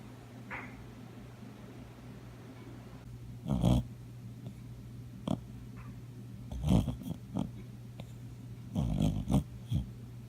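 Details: Brown nine-year-old cockapoo dreaming and snoring in its sleep: low, raspy snorts and snores in short bursts every couple of seconds, some doubled, over a steady low background hum.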